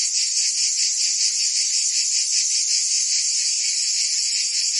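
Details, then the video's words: Cicadas singing through a summer day in Provence, France: a dense, steady high-pitched buzzing drone with a faint rapid pulsing throughout, unbroken and even in loudness, with no other sounds. "Cicadas singing in France (Provence)"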